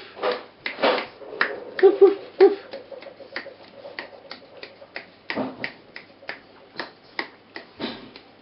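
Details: Border Terrier litter at four weeks old with their mother, indoors: a brief pair of squeaky yips amid a steady patter of clicks and scuffling, like paws and claws on a hard floor.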